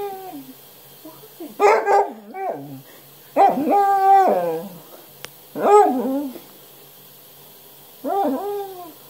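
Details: Basset Hound calling indoors: four bursts of harmonic, wavering howls and whimpers, each about a second long and spaced a couple of seconds apart, with a low electrical hum underneath.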